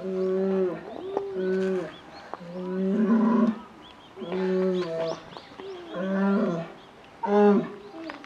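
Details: Female polar bear cub, 11 months old, at Maruyama Zoo, Hokkaido, Japan, asking its mother for milk in December 2011. About six loud, drawn-out, harmonic wailing calls in eight seconds, each bending in pitch, with short quiet gaps.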